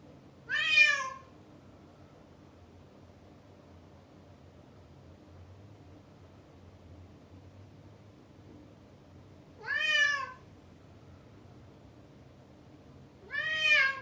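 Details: Male domestic cat shut behind a door after chasing a female, calling loudly: three drawn-out, harmonic, wavering meows spaced several seconds apart, the last two about four seconds apart, over a low steady indoor hum.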